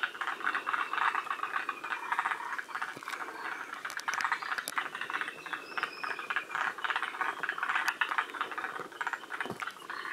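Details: Several forest green tree frogs at Shiriya, Aomori, Japan, one of the northernmost populations of the species, which is absent from Hokkaido; dense, rattling, overlapping croaks fill the whole stretch, with faint thin whistled notes and scattered clicks.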